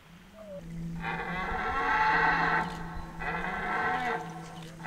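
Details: Red deer stags in the rut, Hoge Veluwe park, 2023, where rangers feed the animals apples. Two long, loud, harmonic roars, each rising and holding for over a second, over a steady low drone.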